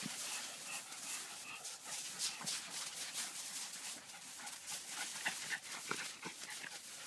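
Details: Japanese Spitz dog panting: quick breathy puffs about four a second, hissy and broadband, with a few faint whimper-like notes over a steady background hiss.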